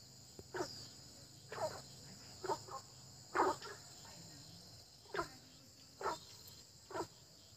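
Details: Early-spring frogs give brief, clipped croaks at uneven intervals, about one a second, against a faint, constant high-pitched insect whine.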